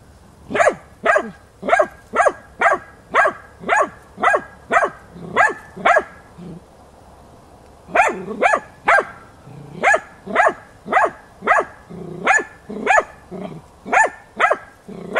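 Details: During a training session on wild boar, the hunting dog Tina keeps up an obstinate baying, 6 March 2013; a long volley of sharp barks about twice a second, a short pause, then the barking resumes just as steadily.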